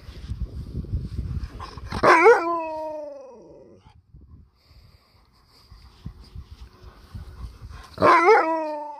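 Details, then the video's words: Alaskan malamute protesting when his paw is touched, giving two short howls about six seconds apart. Each starts with a noisy burst, wavers, then falls away, with soft rustling and handling noise between them. "Touch my Paw again! I Dare You! Malamute with Attitude"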